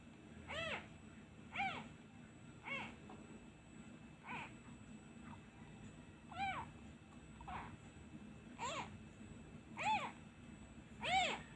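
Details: Abandoned kitten missing its mother, crying once the hand is lifted away: a steady string of arched, harmonic-rich meows, about one every second, some softer and shorter between louder ones, with light background hiss.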